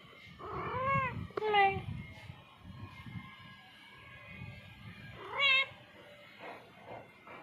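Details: An indoor domestic cat meows several times between a person's speech in Bengali: two quick harmonic meows early on, another rising-falling cry near the middle, with voices and room noise throughout.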